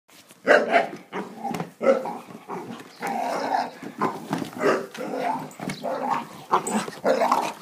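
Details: English bull terrier barking and growling while attacking a lawn mower; a dense run of harsh, rough barks and snarls, roughly two per second, with growly stretches between the louder bursts.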